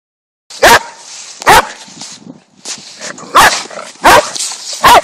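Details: Dog shouting at another dog with loud, sharp barks, each about a second apart, in two bursts separated by a short lull with faint whines between.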